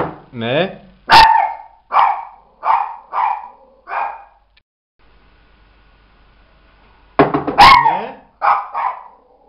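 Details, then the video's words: Mirella the Miniature Pinscher barks at a knock on the door. Five sharp barks come about every second, then a pause and a second burst of four or five barks. A brief human voice is heard at the start. "Mirella [Mini Pinscher] tock tock.. the door....! please;"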